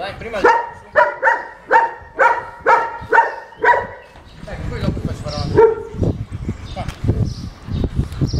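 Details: A German Shepherd called unmanageable barks steadily in its second training lesson, about two deep, ringing woofs per second for four seconds. Street rumble and faint voices follow once the barking stops.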